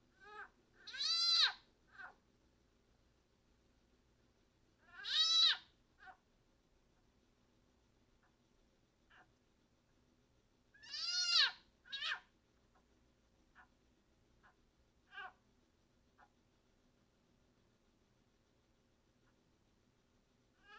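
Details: A wild-caught leopard frog being eaten by a captive broad-banded water snake gives loud, cat-like distress screams, each a rising then falling wail, repeated every few seconds; the call signals a snake is near.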